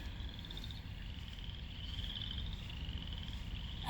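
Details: Frogs calling at Lake Manawa in Council Bluffs, Iowa: a steady, high, pulsed trill runs without a break through the whole stretch over a low outdoor rumble.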